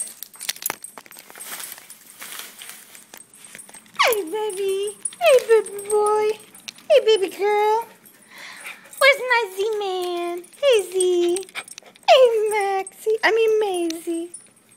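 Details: A dachshund, an old beagle and a mixed-breed mutt greet a returning sitter indoors in Houston, Texas, in summer. A run of loud, drawn-out whines, each starting high and falling, repeats roughly every second, with a woman talking softly.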